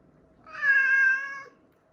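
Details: Kitten from a pair that endured a cold snap together, one of whom was diagnosed with dry FIP with neurological signs, gives a single clear, steady, tonal meow lasting about one second against a quiet background.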